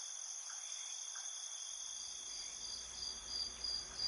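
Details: Insects at night keep up an unbroken, high-pitched shrill trilling in several layered bands; partway through, a low rumble of background noise comes in beneath the steady chorus.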